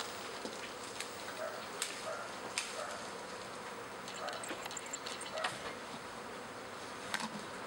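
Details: Honey bee swarm in a backyard in spring, half the colony with a new queen moving into a second hive; a constant humming drone punctuated by irregular crisp taps every second or so.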